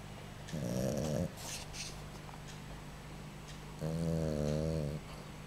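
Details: A boxer puppy snores in its sleep. Two drawn-out, throaty snores with a wavering, buzzy pitch are separated by about three seconds of soft, quiet breathing in a small room.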